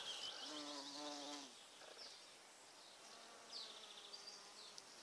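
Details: Bumblebee visiting purple flowers, giving a steady low buzzing drone for about a second, then quieter intermittent humming, with scattered high chirps behind.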